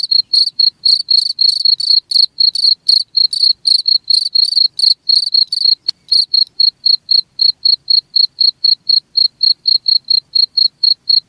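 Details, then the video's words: A cricket gives rapid high chirps at around four per second, fuller and buzzier at first, then after a faint click turning into thinner, cleaner pulses that continue evenly to the end. "SUARA JANGKRIK"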